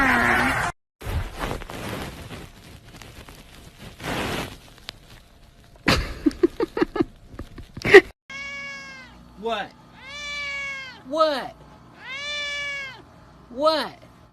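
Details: Pet cat in a funny compilation; after bursts of speech and music, a series of drawn-out, harmonic meows rising then falling, about five in six seconds, each a wavering arch.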